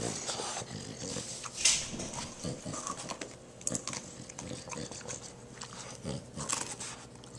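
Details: Indoors, Zorro the dog tears into a pumpkin, growling as he eats. Gritty, snuffling growls and snorts alternate with sharp crunches and clicks of bitten rind. A single loud snap is heard near the middle.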